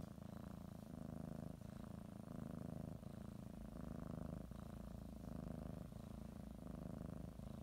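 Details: Cat kneading and biting a blanket as she prepares for a morning nap, purring; low vibrating rumble alternating between louder and softer phases about once a second, with occasional faint taps.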